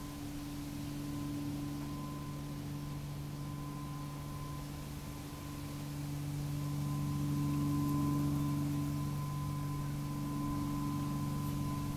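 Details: Steady electrical hum tones over faint background noise, with no barking or other animal sounds.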